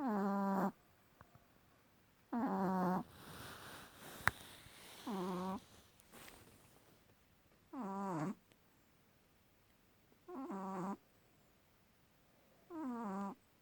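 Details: A sleeping dog with a loud snore: six rough, buzzy snores, each under a second, recur about every two and a half seconds, with faint breathy rustles between them indoors.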